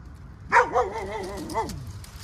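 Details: Mother dog at a rescue feeding as food is brought for her: one loud, drawn-out wavering bark-whine of about a second with a strong bright onset that trails off, then quiet background.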